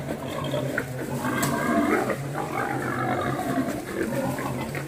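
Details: Wild boar during mating, giving low rough grunts and snorts over a steady low hum, fairly continuous throughout with a few brief louder bursts.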